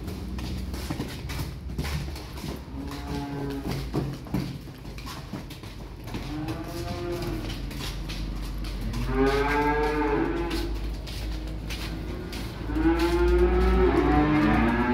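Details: Young calves delivered by truck call out in a series of drawn, wavering moos, several overlapping bellows spaced a few seconds apart over a steady low engine-like rumble.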